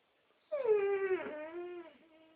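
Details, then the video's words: Pet Dobermann singing on its owner's request: a tonal, whining howl that starts near its peak, slides downward, dips, then holds a lower wavering note before fading, with rich stacked overtones and no other sounds. "Singing dog"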